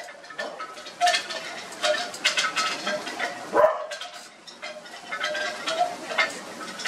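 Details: Australian Cattle Dog puppies piled up together give short, high whimpering squeaks and yips in scattered bursts, with rustling and shuffling as they jostle.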